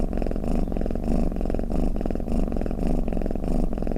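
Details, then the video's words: Cat snore heard as a soft, throaty rumble; rapid fluttering pulses grouped into breath-like swells roughly every half second. "เสียงแมวกรน เปิดให้แมวฟังเคลิ้มๆไปเลยค่ะ | Snoring Cat"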